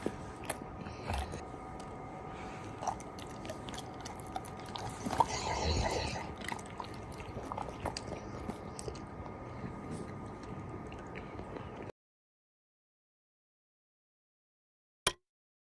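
A Golden Retriever chews and crunches its food in steady, uneven bites, with one louder, breathy snort about midway. A faint electrical hum runs underneath, then the sound cuts to silence before a single sharp click.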